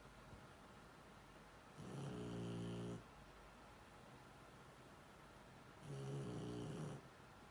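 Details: Shar Pei asleep, giving two drawn-out snores about four seconds apart, each a low buzzing rasp of around a second, with quiet background hiss in between.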